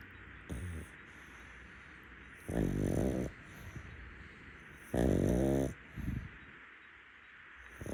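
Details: Pug, a rescue dog, snoring while napping in bed in the daytime; loud rasping inhalations roughly every two and a half seconds, each lasting under a second, with softer snorts between and a quiet background.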